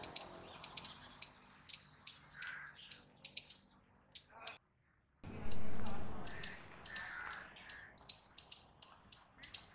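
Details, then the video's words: Squirrel giving loud, sharp chirps repeated in quick bursts, with a brief silent gap and a short low rumbling noise midway before the chirping resumes. "Squirrel Noises Loud | Squirrel Sound Video"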